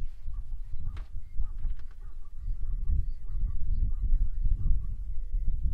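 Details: Many wildebeest call together on the Ndutu shortgrass plains, southern Serengeti, Tanzania, February 2024. Short honking grunts, several each second, run in a steady chorus over a deep, rumbling base.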